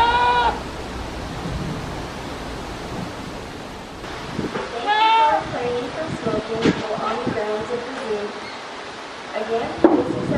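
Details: A goat standing on scaffolding gives two loud, wavering bleats several seconds apart over faint background clatter, at 9:12 AM on 19 November 2019.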